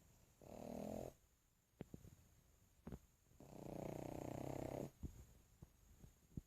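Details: Max, a sleeping pug, gives two throaty, rattling snores, a short one then a longer drawn-out one of about a second and a half, separated by small ticking sounds in a quiet indoor space.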